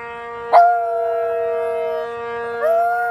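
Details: Shiba inu named Miya howling in answer to a monthly siren test, its fifth month: a sharp rising onset settles into a long steady tone, then a second howl begins near the end, over the constant layered wail of the siren.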